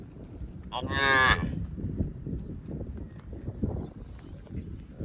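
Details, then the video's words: A cow grazing in a field gives a loud, bright moo near the start, about half a second long, then low chewing and rustling noises continue. "Cow mooing sounds & grazing in a field"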